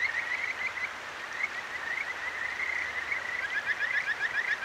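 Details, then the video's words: Kajika frogs of a clear stream in Akigawa Valley, Tokyo, heard at night via a ZOOM H6: a running chorus of high trilled notes, ending in a distinct series of rapid, rising musical chirps over babbling water. "清流の歌姫 カジカガエルと川のせせらぎ"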